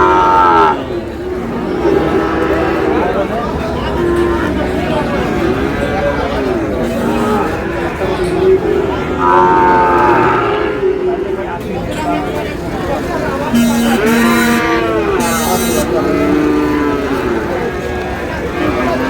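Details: Sahiwal bull calves in Noakhali, Bangladesh, lowing repeatedly, with long bowed moos every few seconds among people talking nearby and brief sharp clatters near the end.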